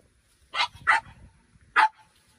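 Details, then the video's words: French Bulldog Minnie Rose, a one-year-old female frenchie, playing with ten-year-old Sami under a grape pergola in a garden during morning watering; three sharp barks in quick succession, two close together then one after a pause. "FRENCH BULLDOGS JUST WANT TO PLAY"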